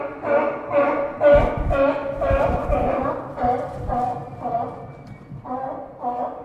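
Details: Several sea lions resting along the Santa Cruz docks give rapid, hoarse, overlapping honking barks, deep and echoing amid pier ambience.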